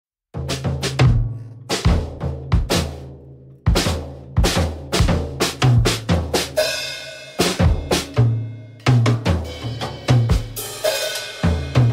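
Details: Loud drum kit music with bass drum, snare and cymbal hits; no animal voice is heard.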